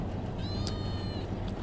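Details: A small white and black cat gives one faint, thin, high-pitched meow lasting under a second, drawn out and level. A steady low hum sits underneath, and a person talks to it just after.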